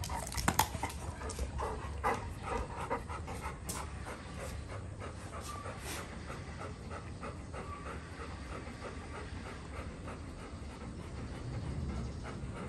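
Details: Two Golden Retrievers after excessive rough play, steady rapid panting throughout with a few scuffling thumps early on.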